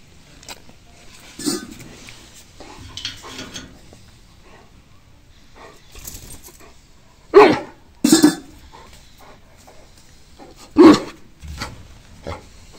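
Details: An Alaskan Malamute makes some softer vocal sounds, then gives a few loud, gruff barks at irregular intervals.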